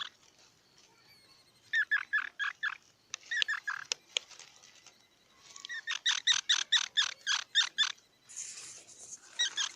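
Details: Squirrel chattering in rapid series of squeaky, buzzy pulses. There are two long runs of about ten notes each, separated by scattered clicks and a pause, and a higher hissy burst near the end.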